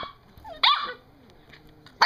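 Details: Seven-week-old puppy 'talking' indoors while its owner praises it. A short, bright yelp breaks out and falls in pitch, then quiet, then another sudden yip at the very end.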